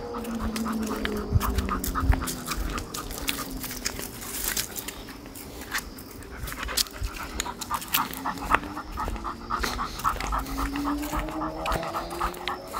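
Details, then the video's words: Pit bull dog on a walk panting, rhythmic breathy puffs about two per second, some louder bursts, over a low drifting tone and background rumble. "pitbull no rolê caminhada"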